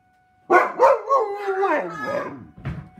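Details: Dog howling with sirens, one wavering howl that begins with a few rising yelps, then sinks gradually in pitch and fades out with a low grunt.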